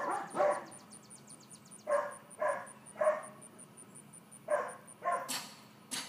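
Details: Georgia, a 4-month-old female miniature dachshund puppy, during leash and calmness training: short yipping barks in small bunches separated by pauses, with a faint steady high-pitched beeping behind them and a few sharp clicks near the end.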